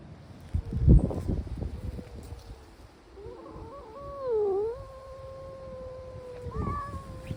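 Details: Stray brown tabby cat giving a long, drawn-out wavering yowl that dips and rises before fading, with thumps and low rumbling noise at the start and end.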